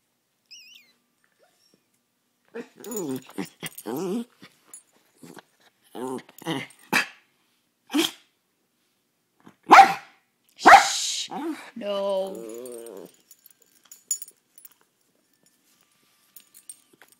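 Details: Poodle barking indoors: bursts of short, sharp, harmonic barks, some in quick runs, then single barks spaced a second or two apart, a brief whine near the end, and quiet gaps between.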